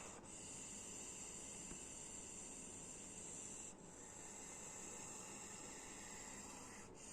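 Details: Close-range snake hiss, long unbroken breaths of bright broadband hissing separated by short pauses about every three and a half seconds.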